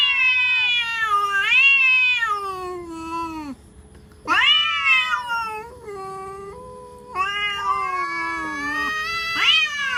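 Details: Cats in a threatening standoff give a series of moaning, wailing yowls. The yowls swoop up, sag down and waver, broken by short pauses. A sharp upward-sliding cry starts a louder passage midway.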